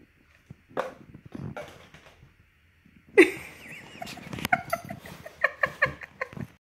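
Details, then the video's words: A mastiff day dreaming lets out muffled, breathy woofs and a rising whine, then a run of short, soft yips and huffs in quick succession, each under half a second apart, with little else around. "MY mastiff day dreaming"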